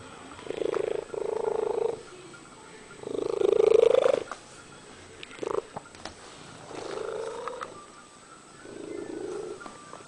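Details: Cat singing a string of five uneven meows, some short and some long and rising, varying in loudness, with scattered clicks in the pauses.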